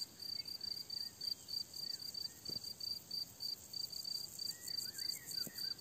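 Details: Crickets chirping on a Hungarian summer meadow: steady, high pulsed trills repeating about three times a second, with faint bird notes in the background.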